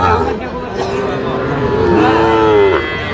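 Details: Cattle among small bull and heifer calves bought by a Dhaka farmer at a livestock market, Bangladesh, 9 November 2025: a drawn-out, tonal moo bending downward near its end, over market chatter and men's voices.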